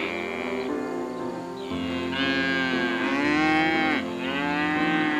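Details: Calf mooing: long, nasal, drawn-out moos in close overlapping bursts, each swelling then sliding down in pitch, over steady background music.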